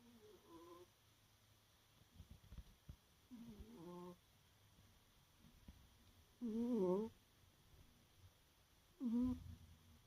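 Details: Pet cat Peru snoring softly in deep sleep in the early morning, tired out: four voiced, wavering snores spaced a few seconds apart, each a brief humming breath, with quiet pauses and a faint steady hum between.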